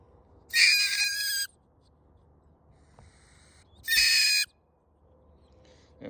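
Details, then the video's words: Live-trapped mink, caught beneath a home and about to be relocated, letting out two loud, piercing, harsh screeches over a low background hum. "Mink vocalization sounds"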